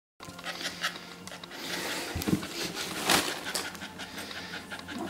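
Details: Rosie, a red Staffordshire Bull Terrier bitch and first-time mother, pants in her whelping pen during labour. The breaths come as rapid, rhythmic rasps through the clip, with a louder burst near the middle and light rustling.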